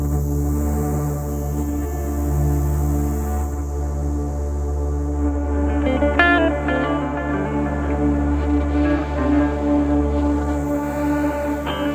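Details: Steady instrumental music with sustained low tones and soft plucked notes fills the clip, with no animal sounds.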